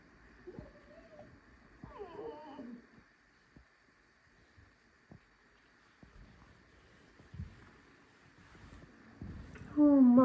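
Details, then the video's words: Tame fox indoors in a kitchen, squeaking as if complaining: a short whiny squeak, then a longer wavering, falling squeal with bright overtones, a quiet stretch with faint knocks and clicks, and a loud shrill squeal at the end. "Алиска скрипит на кухне, жалуется на жизнь"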